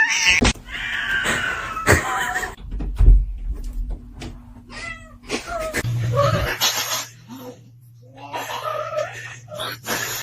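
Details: Pet cat named Mr. Chief, indoors, giving several strained, wavering meows and caterwaul-like cries while a person talks to it and urges it to face the camera, with short knocks and handling noises between calls.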